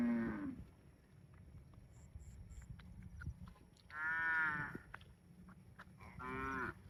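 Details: Cow mooing: three drawn-out lowing calls with rich harmonic stacks, one at the start, one near four seconds and one near six and a half seconds, separated by quiet gaps with faint clicks.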